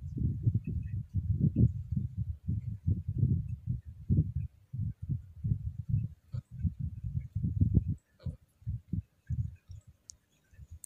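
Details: Scottish Fold cat in heat gives a low throaty moan while gently stroked: a steady, rough rumble in short pulses, fading into broken, quieter bursts toward the end.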